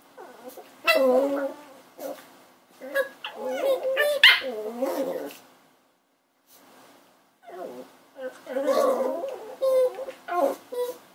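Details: Indoor puppy giving shrill whimpers and short yips in clustered bursts, pitch bending up and down, with a silent break midway and human speech woven among the cries.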